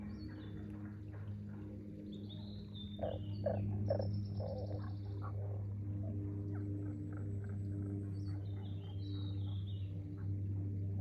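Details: Frogs calling at Aoba no Mori green park, dated 4/5/2024: short pulsed croaks in quick runs, loudest from three to five seconds, over a steady low hum, with faint high bird chirps in the background.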